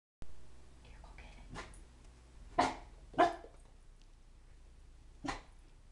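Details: A Siberian Husky, unsure of and apparently afraid of balloons in the house, gives a few short, sharp barks spaced irregularly while a person speaks softly.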